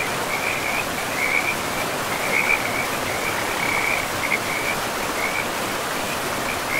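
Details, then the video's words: By a river in a mossy forest, frogs give brief rattling croaks in irregular bursts every second or so, over a continuous wash of running water. "River and Frogs sleep sounds"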